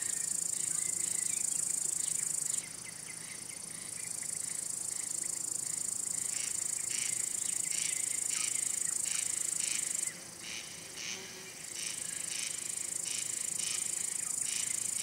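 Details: Male cricket, which produces loud sounds with its wing covers to attract females, court them or scare away rival males. A bright high trill runs through with pauses, while rhythmic chirp pulses come thickly in the second half.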